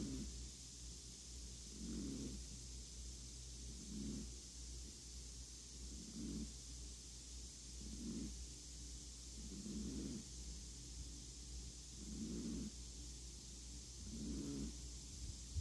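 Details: Snoring of Appleboo the chihuahua, gentle low nasal snorts recurring about every two seconds in a regular rhythm, under a constant hiss and low electrical hum.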